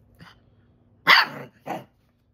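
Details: Labrador Retriever sounding an intruder alert with a soft lead-in woof, then one loud, full, rough bark followed quickly by a shorter second bark.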